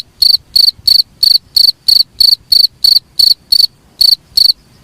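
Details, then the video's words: Cricket chirping, used as a master sound for training songbirds: loud high-pitched pulsed chirps repeated about three times per second in a steady run, each chirp a short trill, with a quiet background. "suara jangkrik paling bagus sangat cocok untuk master burung kicau"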